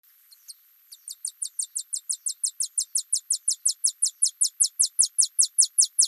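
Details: Alston's singing mouse (Scotinomys teguina) singing: a rapid series of very high, short downward-sweeping notes, trill-like like a bird, starting sparse then speeding into a steady, evenly spaced run of about thirty notes, growing louder.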